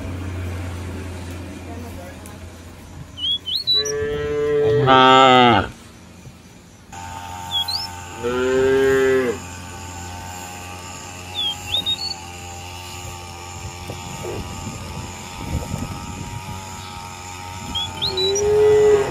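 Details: Free-roaming cows in a village field call their companions home to the barn. Drawn-out, rich moos come in two main bouts, with a brief moo at the end, over steady background hum and scattered high bird chirps.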